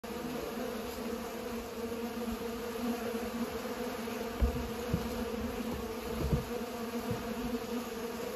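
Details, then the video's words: Bees pollinating flowers: a steady droning buzz with bands near 250 and 500, continuous throughout, with a few soft knocks around the middle. "Bees are pollinating"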